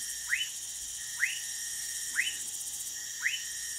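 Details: Orinoco lime tree frog in Manaus, Amazonas, Brazil, making four short upward-sliding chirps at roughly one-second intervals against a steady high insect whine.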